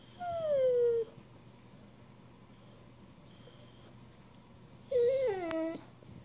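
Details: Asking to be petted, an Australian Shepherd lets out two high, nasal whines a few seconds apart, the first sliding steadily down, the second wavering then falling, with quiet room noise between.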